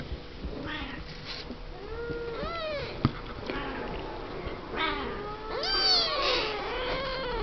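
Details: Seven-week-old Siamese kittens, born 01/07/11 to Misty and Willow, talking and playing in their pen; several overlapping high arched meows, some rising and falling, come in bursts with a soft background hum and a sharp click.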